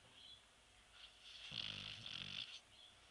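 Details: A sleeping Shar Pei snoring indoors; one drawn-out raspy snore lasting about a second, with a low rumbling core and a hissy breathy edge, then fading to quiet breathing.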